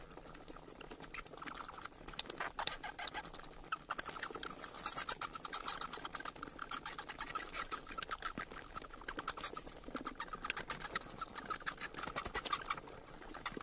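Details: Near-continuous stream of shrill, rapid bat clicks and squeaks, dense and unbroken with occasional louder peaks.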